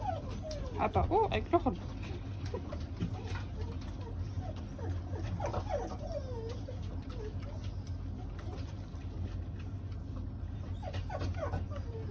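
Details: Australian Shepherd whimpering: thin, wavering whines that bend up and down in short bursts near the start, middle and end, over a steady low indoor hum, with a person's voice mixed in.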